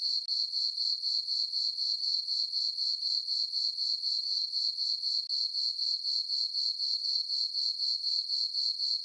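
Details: Full-moon summer night on a farm, crickets in the meadow keeping up a steady high chirping rhythm of about four pulses each second, no other sounds.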